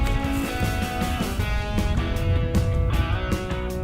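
Strummed electric guitar music with a steady rock beat fills the whole stretch, and no animal voices come through.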